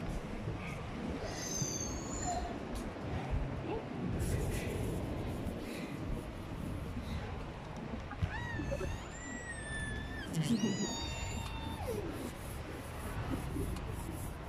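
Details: An orca named Luna at Kamogawa Sea World gives high, squeaky whistled calls that sweep upward, over a low rumble of crowd noise, on 16 February 2021.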